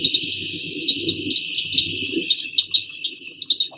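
Cricket frogs give rapid, squeaky clicks, like glass marbles rubbed together, over a high steady chorus.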